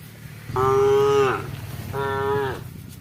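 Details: Two level, buzzy moos from a cow calling its herd as the animals receive water, the second one shorter, over a low rumbling background.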